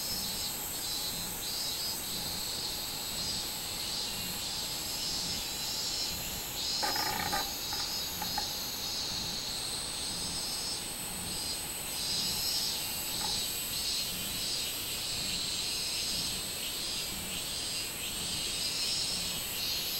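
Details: A Minmin cicada (robust cicada) chorus recorded on 24 July 2016 drones in a loud, shrill, pulsing buzz that rises and falls in regular throbs; a thinner steady whine joins partway, and one brief knock interrupts.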